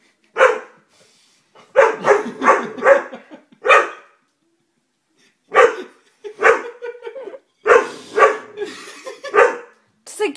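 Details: Dobermann barking in short clustered bursts: a single bark, then a rapid run of four, a lone bark, and after a pause more grouped barks, deep and forceful with brief gaps of silence between.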